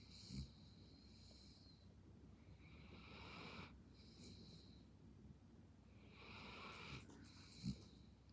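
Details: Belgian Malinois dozing half asleep gives breathy, wheezing snores in slow succession, with a couple of brief low snorts standing out against a constant low rumble.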